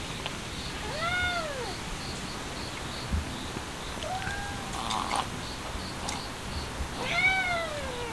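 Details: Stray cats out in a sudden cold spell, looking for sunny spots; three drawn-out meows, arching up then falling, the last one loud and harmonic-rich, with a soft background hiss and a few faint clicks.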